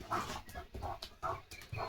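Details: Male German Shepherd dog gives four short, rough barks spaced about half a second apart, each a brief low burst with a clipped end; no other clear sounds.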